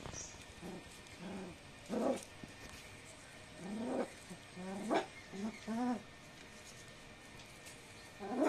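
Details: Indian desi dog puppy giving a series of short, high whining yelps, some rising then falling, spaced irregularly over several seconds against a steady background hiss.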